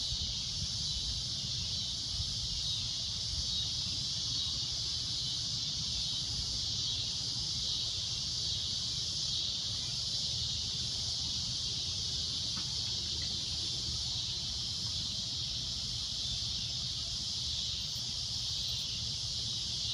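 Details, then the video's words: At sunset a cicada keeps up a steady, piercing, shrill drone, even and unbroken, with a low rumble beneath and one faint click midway. "Cicada A Loud Shrill Droning Noise"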